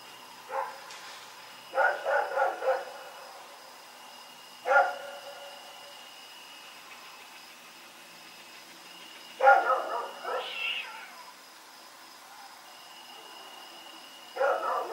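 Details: At night on October 7, 2018, Rex the dog runs around barking: single sharp barks and quick clusters of three or four, with long pauses between, against a constant thin electrical whine.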